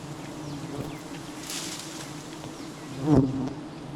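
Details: Honey bee swarm at a honey hunt gives a steady, deep buzzing drone, with a brief hiss early on and a dull knock near the end.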